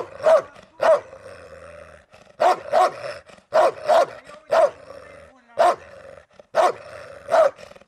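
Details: Central Asian Shepherd Dog (Turkmen Alabai) named Aldo during a guard test of territorial-defence instinct: about ten deep, forceful barks over eight seconds, some single and some in quick pairs, separated by short pauses.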